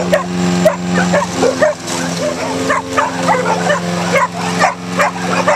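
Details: Neighbors' pit bulldogs and a Jack Russell-type dog attack a running lawnmower in a backyard, barking sharply and rapidly, about twice a second, in uneven bursts over the steady droning hum of the mower engine.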